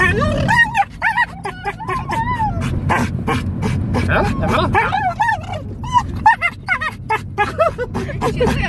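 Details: Dog in a car making a busy run of yips, whimpers and warbling wavy cries, rising and falling in quick succession, with a person's voice and engine noise mixed in.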